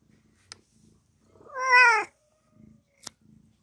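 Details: Domestic cat meowing while giving birth to four kittens indoors; a single loud, drawn-out wavering meow lasting about half a second, with soft clicks and faint low rustling before and after.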